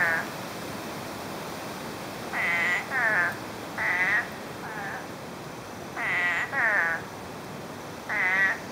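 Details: After nine inches of rain in less than a day, spadefoot toads call from brush with harsh, wavering nasal bleats, about eight of them, often doubled in quick succession.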